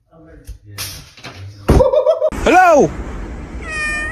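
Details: Domestic cat talking indoors in a small room: one loud, arched meow rising then falling, preceded by human voices and household noise, with a short high ringing tone near the end.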